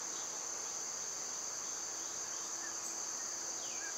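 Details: Cicadas singing in summer: a dense, steady high-pitched hiss-like drone without pause, broken only by a couple of faint bird notes near the close.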